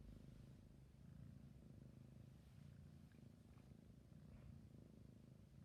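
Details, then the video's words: Close, quiet recording of a sleepy kitten's continuous purr, a deep vibrating hum that rises and dips gently in loudness. "My cute sleepy kitten purring and yawning"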